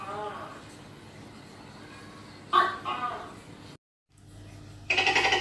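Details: Tokay gecko observed hunting: one abrupt two-part call, a harsh bark then a lower drawn note, followed after a brief break by a rapid, bright, pulsed burst of sound.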